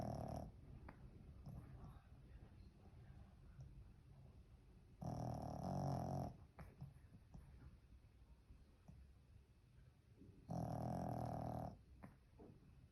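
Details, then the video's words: Pekingese dog snoring in its sleep, two loud drawn-out rasping snores about five seconds apart, each lasting roughly a second, with quieter breathing between. "Snoring 😴 💤 #pekingese"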